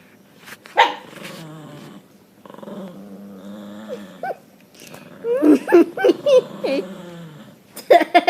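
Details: Several pet dogs making weird noises: drawn-out, wavering groan-like moans with a low steady hum, then a cluster of short, sharply bending yelps and whines, ending in a brief loud burst.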